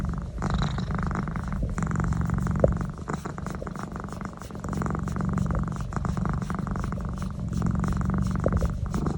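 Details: Neck massage sets a domestic cat purring, a coarse low rumble in breath-length waves, softening briefly near the middle and then building again.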